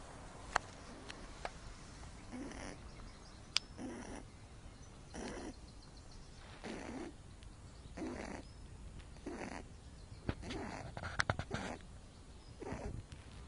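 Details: Loopy, a pet rabbit with cerebellum damage from birth, poor balance and stumpy hard ears, snores loudly while asleep in the sun: about ten soft, breathy rasps repeating roughly every second or so, each a short broad hiss.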